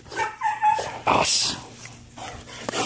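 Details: Belgian Malinois named Ares lets out short high whimpering tones, two quick pulses then a longer one, followed by a harsh breathy burst; a low hum continues beneath.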